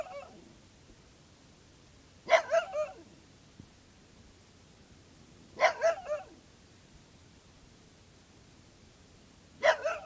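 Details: A dog barking at a cicada shell: three bursts of sharp barks, each a quick cluster of two or three barks, about three seconds apart, over a quiet indoor background.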